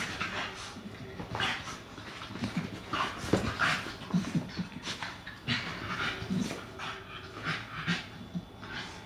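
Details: Puppy trying to convince his sister Cali to play, giving breathy panting bursts mixed with short whimpering whines and soft grunts in irregular runs, a brief spoken name at the end.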